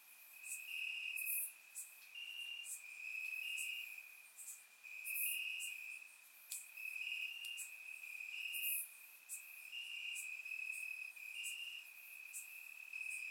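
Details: Crickets chirping in grass on a warm summer night in Bulgaria, recorded with a surround microphone: a steady high trill with brief louder pulses, plus scattered sharp high ticks from other insects.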